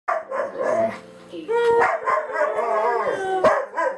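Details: Singing dog producing wavering tonal howls with sliding pitch, rising and falling in long drawn notes, mixed with a few short yelps.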